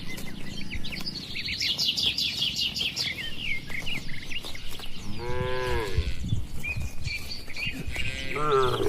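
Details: Tame cattle grazing freely on a wide green pasture with their herder in the countryside; two short, arching, harmonic moos near the end, the second one brief, over constant chirping and twittering birds and low wind rumble.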